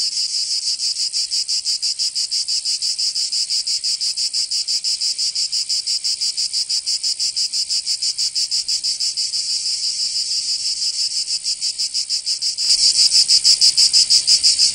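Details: In Provence, southern France, summer cicadas keep up a harsh high buzzing in rapid even pulses, about three per second; near the end the sound abruptly grows louder and more continuous.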